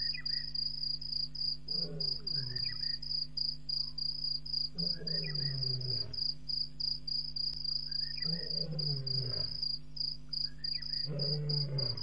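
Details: Lion at Djuma Game Reserve at 01:05 a.m. on April 13, 2017, roaring after walking across a dam wall: deep, descending grunting bursts about every three seconds, four in a row, over steady high cricket chirping.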